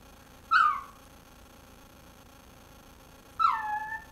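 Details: A dog whining in a dark room, wanting the bone that another dog is chewing: two high, drawn-out whines about three seconds apart, each falling in pitch, over a quiet, steady background hum.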